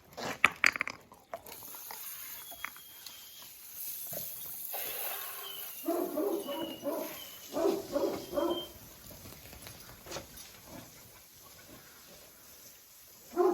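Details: Jack Russell Terrier named Oscar giving a string of throaty, harmonic growling barks in the middle of the clip, preceded by sharp knocks and a hiss-like rush, with some background noise throughout.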